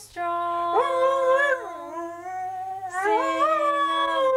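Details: ["Merlin, an Aussie and Border Collie cross, sings along with its owner in a heartfelt duet. The dog's howls swoop upward and then sag, twice in a row. A lower, level human tone holds underneath."]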